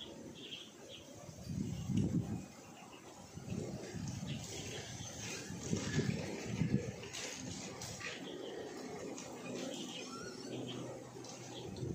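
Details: Two hot-tempered little native puppies fight over a scrap of rag, giving low rumbling growls in bursts near two, four and six seconds, with fainter scuffling noise and a steady background hiss.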